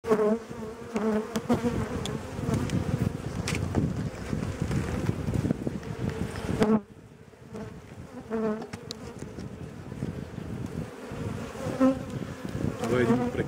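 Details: Honey bees buzzing aggressively around an open hive during an April colony inspection while requeening is under way. A dense, steady low hum runs for the first half, then drops to scattered buzzing with handling clicks.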